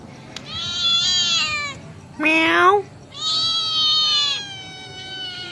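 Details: Kitten replying to its owner indoors: two long, high, steady meow-like calls surround one short, strongly rising kitten meow in the middle.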